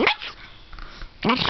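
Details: Dog yodeling: two loud, brief, bent vocal bursts, one rising then falling at the start and another after a quieter gap, with softer murmuring in between.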